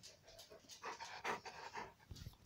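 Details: Young Newfoundland dog, about a year old, panting indoors in short breathy puffs, several quick breaths with a louder gust near the middle, a person speaking briefly nearby.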